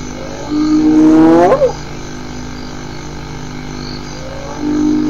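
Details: Hyena giving a single harmonic call that rises steadily in pitch and breaks off sharply after about a second. A quieter rising note follows near the end over a steady low background hum.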